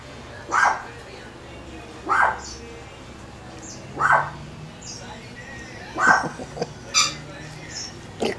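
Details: Chihuahua pups four weeks old giving short tonal whimpers repeated roughly every one to two seconds, ending in a quicker cluster of cries; a woman chats to them in the background.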